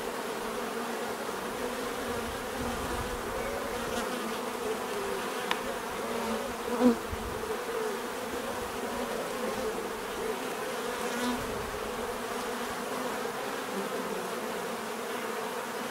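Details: Swarming bees produce a continuous buzzing drone, with a brief louder pass of one insect near the middle and faint clicks over the steady hum.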